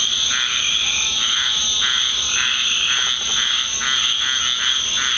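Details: Many frogs calling at night in a Deep South backyard after rain, a loud constant high-pitched buzz with regular throbbing croak pulses beneath, no pauses.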